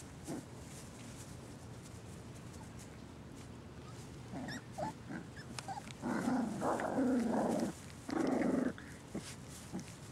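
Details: Six puppies at play time, one named Mac climbing on littermate Marsipan; quiet stretch broken by short growly grunts, then two longer rough growling bursts around six and eight seconds, with faint rustling between.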